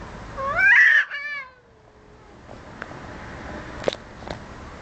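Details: Cats in a dispute, squaring off: one strained, harmonically rich yowl that rises and bends, then a long descending moan fading out, followed by quiet room noise and a couple of light taps.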